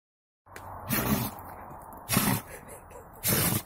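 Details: Buran, a Siberian yard-breed guard dog, sneezing after getting snow in his nose: three sharp, noisy bursts about a second apart over a steady hiss of background noise.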